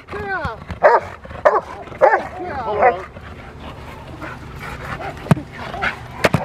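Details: Female Rottweiler Freya vh Odom during protection training on November 21, 2021, preparing for IGP1 and Ztp: a burst of loud, harsh barks in quick succession, then quieter barks, with a handler's spoken commands and room noise.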